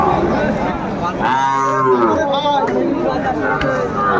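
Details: At a Kurigram, Bangladesh cattle market, 27 July 2024, a Sahiwal cow gives one long, steady, harmonic moo lasting about a second that slowly falls at the end, over constant human chatter and market bustle.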